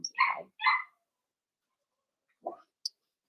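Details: Blenheim Cavalier King Charles Spaniel puppies from a litter of five born at New Year's to Paris and Spike, in the Red Barn Cavaliers puppy pen: two short, bright squeals close together, then a lone, softer rising squeak after a pause.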